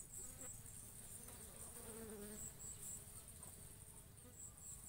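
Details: Bees pollinating and feeding on coconut flowers: a low, droning wing buzz with faint wavering hum tones rising and falling, over a steady high-pitched insect trill running throughout.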